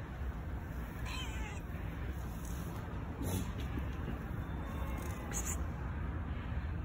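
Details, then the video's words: Hungry homeless stray cats search for food around a dumpster, giving a few short, wavering meows that rise and fall, half-buried under a constant low rumble of traffic and street noise. "Hungry Homeless Stray Cats are searching food around dumpster."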